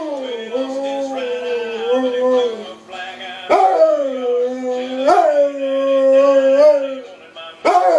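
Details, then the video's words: Bomb dog howling along to Toby Keith music, long sustained wavering howls that swell and dip in pitch, broken by sharp rising onsets roughly every one and a half seconds, with the song faintly behind. "Singing bomb dog"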